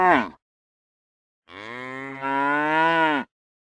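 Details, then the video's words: Real cow mooing, a clipped fragment of one call at the start, then after silence a single long, steady low moo of nearly two seconds that swells louder midway and ends abruptly. "Real Cow Sounds | Cows Mooing"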